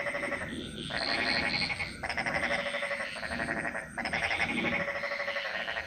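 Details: Jungle frogs in Bali sing together in long, harsh, buzzing croaks lasting about a second each. The calls run almost continuously, with a thin high insect whine in the background.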